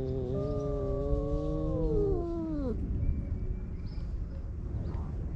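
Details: Tomcats confronting each other in a fight among stray cats on a Japanese cat island: a long harmonic growling wail holds steady, then slides sharply downward and stops, followed by low background rumble.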